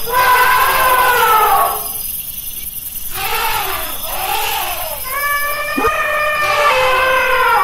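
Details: Elephant calls: a strong, wavering trumpet opens, a quieter pause follows, then several shorter, arching trumpet blasts, with a faint high hiss running underneath.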